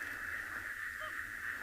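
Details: Common reed frogs calling almost in unison in a swamp at Tswalu Kalahari Reserve, South Africa, on a 30 September sunrise drive; a steady, dense, high ringing band of overlapping notes holds throughout, noisy yet melodious.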